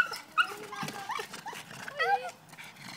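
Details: Pug attacking a tomato plant: a run of high, wavering whines and squeaky yelps rising and falling, mixed with a woman's voice asking what's the matter and plant rustling.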